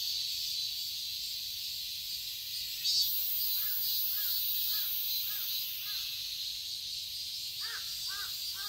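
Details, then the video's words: Steady high buzzing of cicadas in a summer garden in Seoul, Korea, with a crow cawing in a run of five calls midway and three more toward the end. "Cicadas chirping sounds"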